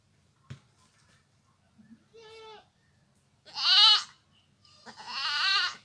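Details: A village goat calls repeatedly: a soft bleat, then two louder, harsher wavering cries, with a click at the start and a low rumbling background.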